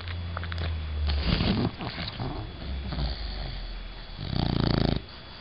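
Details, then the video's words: Sleeping female Bulldog called Bella: low snuffling, rattling breaths and snorts run almost continuously, ending in a louder buzzing snore. "Do Bulldogs Really Snore?"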